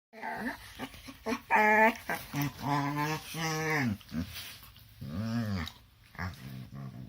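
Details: Two dogs wrestling together in their morning play let out a rapid string of whining, groaning grumbles, some sliding up and down in pitch, others low and growly, with short pauses between bursts in a small indoor room.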